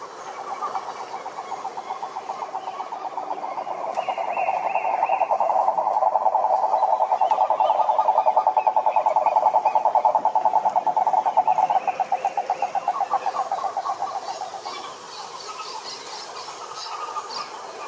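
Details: Toad croaking in a long pulsed trill that swells louder through the middle and fades out after about fifteen seconds, with faint higher chirps around it.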